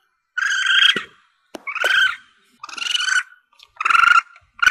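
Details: Juvenile Asian palm civet calling, offered as a hunting lure: rapid sequence of strained, nasal squealing mews, each under a second, with faint clicks between calls.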